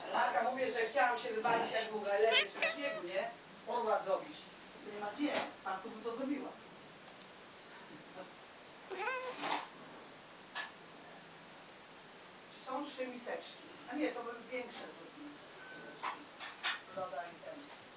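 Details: Luna the kitty chatters at falling snow, a habit she also shows toward birds and window flies in summer; rapid runs of short, harmonic chirps, then silence, then more bursts, with a human voice in between.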